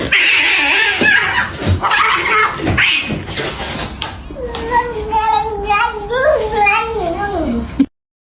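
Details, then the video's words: Domestic cat voicing its emotions, live sound: a few seconds of loud, noisy speech-like sound and knocking, then a long wavering meow that rises and falls several times before trailing down. "A NEW SELECTION OF CAT MEOWING VIDEOS"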